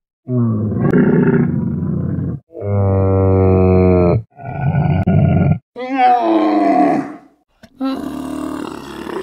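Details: Domesticated dromedary camel, a working animal, bellowing and bleating: a series of loud, drawn-out, gurgling roars with rich harmonics, each lasting one to two seconds, separated by brief pauses, some rising and turning harsh.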